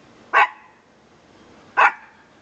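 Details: Pet dog at home, which its owner calls a good watchdog, gives two short, sharp single barks about one and a half seconds apart against a quiet background.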